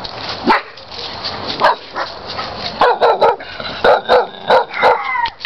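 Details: Dog barking at an intruder: sharp, loud barks, sparse at first, then a rapid series about every quarter to half second, some with whining, tonal overtones near the end.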